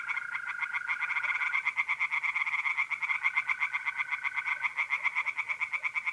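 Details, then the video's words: Night chorus of tree frogs at a pond in North-East Italy, mid-April: dense, continuous rapid croaking pulses with a steady high trill of mole crickets running underneath. "relaxing singing tree frogs in pond and trilling mole crickets by night"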